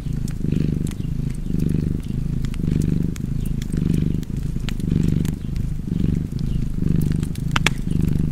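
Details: A cat purrs contentedly near an open fire, its throbbing low rumble repeating in even breath-length waves, about eight, accompanied by intermittent sharp crackling from the flames.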